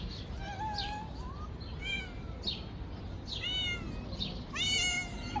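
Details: Stray cats being fed on a river bank, several harmonic meows overlapping, some rising and some falling, with a loud drawn-out meow near the end over low background rumble.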